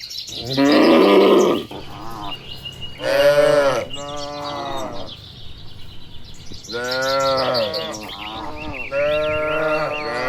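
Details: Dozens of tame, well-kept cattle walking home to their shed along a tree-lined village road on a warm evening, calling back and forth; a few long, harmonic lowing moos with quieter rustling and faint bird chirps between them.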